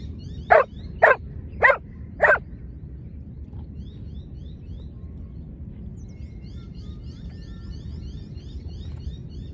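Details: Four quick, sharp barks in a row from a Giant Schnauzer at lure training, then quiet with a low outdoor hum and thin, repeated high chirping of small birds.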